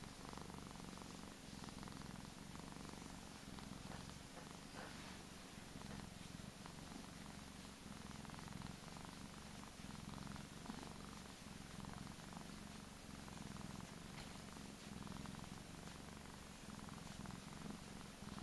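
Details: Purring from Gizmo, a little fat Persian house cat: an unbroken deep vibrating rumble, rapid pulses merging into a steady drone that rises and falls gently with each breath, quiet room hiss in the background.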